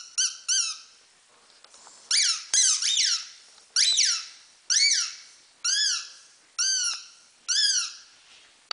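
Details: Havanese puppies at five weeks old, the litter of Teddy and Irie, indoors in a small room: high, squeaky, arched whines with bright harmonics, about nine of them spaced roughly a second apart, rising then falling.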